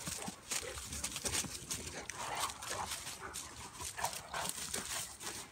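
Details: Two dogs, a Bulldog/Staffy cross and a Cane Corso, wrestling in play; short gruff growls and snuffling bursts repeat irregularly over scuffling noise, with a few low whimpers.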